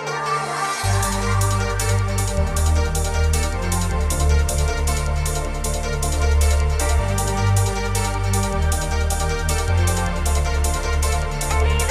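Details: Electronic dance music with a steady pounding bass beat and bright synthesizer layers plays throughout, with no animal voices heard.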